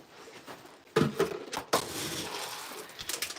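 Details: Indoor clatter of dishes, glass and keys clinking, with a few sharp knocks and no animal sound.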